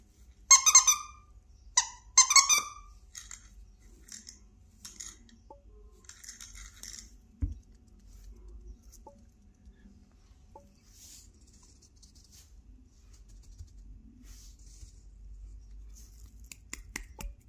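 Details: Havapoo puppy named Teefje gives three short, high, squeaky yelps with bright overtones in the first three seconds, followed by quieter scattered squeaks, soft taps and light rustling indoors.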